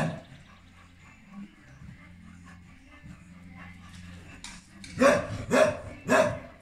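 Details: A pregnant English Cocker Spaniel, due to give birth in June 2021, gives three sharp, loud barks about half a second apart after a few seconds of soft, low background murmurs with faint whining or voices.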